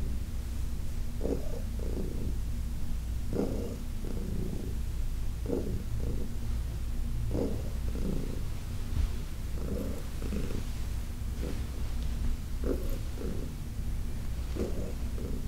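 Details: During a massage session, Heidi, an elderly adopted shelter cat, keeps up a low, even purr, with rhythmic surges matching each breath, about one per second, throughout.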